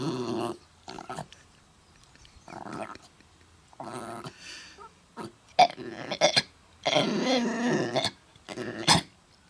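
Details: Mutley, a dog, coughing while trying to sing at Bredagh, Carrigallen, County Leitrim, on 27 August 2016; rough broadband hacking bursts separated by short pauses, some longer harsh stretches.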